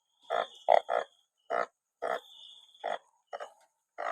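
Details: Banded bullfrogs gathered in numbers after rain, several giving short, deep, nasal honking bursts in quick irregular succession, some overlapping, with a thin steady high whine running behind them.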